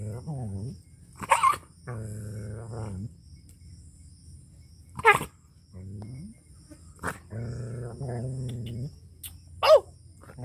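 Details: An angry dog in village Punjab, Pakistan, alternates long low rumbling growl-howls of about a second with abrupt loud barks, roughly thirteen sounds a minute, irregularly spaced.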